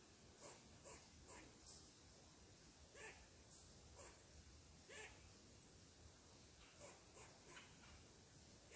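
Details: ['Upset squirrel scolding someone seated on its tree, giving crisp clipped barks in loose runs of two or three, spaced about half a second to a second apart, against low hiss.']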